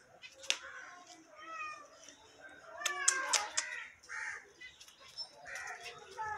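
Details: Beagle puppies indoors giving high, thin whines and yelps that rise and fall, several short calls overlapping across a few seconds, with a person's voice heard faintly between them.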